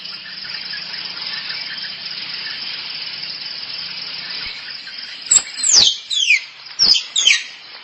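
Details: Squirrel calling for a mate, played as a lure to attract squirrels: a dense hiss of buzzing background fills the first half, then sharp, high squeaky chirps sweep steeply downward in quick bursts near the end.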